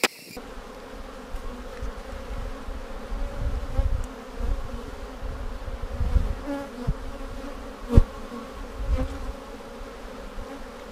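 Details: Honey bees humming inside a split hive on March 10, 2019, seven days after dividing it with a double screen divider board, during a search for queen cells; an even, steady low drone with a few faint knocks throughout.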